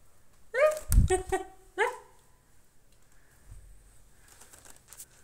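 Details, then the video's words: Cat uttering two short meows in quick succession, broken by dull thumps, then quiet room noise with faint rustling. "meow meow"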